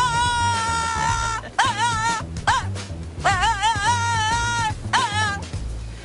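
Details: A French Bulldog in Austin, Texas, "sings" in long, wavering, howl-like tones that rise and dip over background music, one of the strange vocal sounds the breed is known for.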